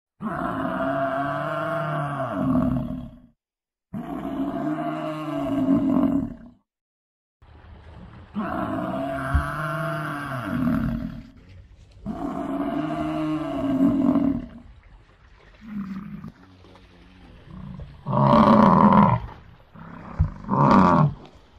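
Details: Gaur, also called Indian bison, of South Asia, giving long, deep, drawn-out bellowing calls of about three seconds each, repeated after short pauses, ending with two shorter, harsher bursts.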